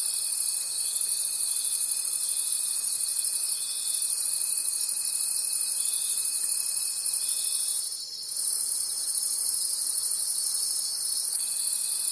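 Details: Forest at night filled with cricket calls: an unbroken high, rhythmically pulsing chorus with a level tone that stops near eight seconds, a short soft swish, then the tone resumes.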